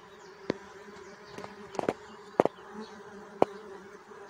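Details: Bee buzz as a steady low hum, punctuated by sharp, irregular clicks or taps roughly every half second to a second.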